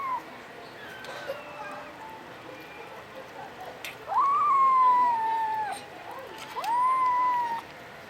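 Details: Domestic Short Hair kitten, a puspin cat in the Philippines, making funny sounds: two long tonal meows, each rising quickly then sliding slowly down, about a second and a half long, plus a faint brief cry near the start.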